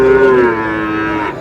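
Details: Sahiwal bull calf at a cattle market, bought by a farmer from Mymensingh, Bangladesh, on 7 May: a single loud, steady moo, slightly falling in pitch and tapering after about a second, with little else around it.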